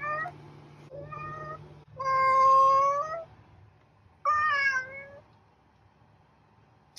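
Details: Indoor cat calling in a run of meows: two short ones, then a long, loud, rising meow lasting over a second, and a final falling meow, before quiet. A low hum sits underneath.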